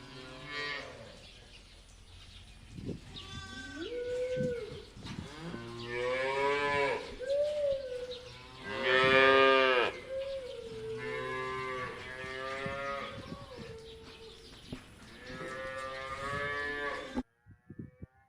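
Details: Several cows grazing freely in pasture moo again and again, short rising calls and long bellows overlapping, with one loudest call near the middle, before the sound cuts out near the end.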